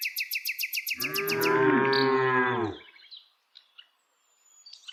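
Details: Village cow, among dozens being herded on the daily walk, lets out a long, steady low moo of about two seconds. It fades at the end. A rapid, regular series of high bird chirps plays just before it.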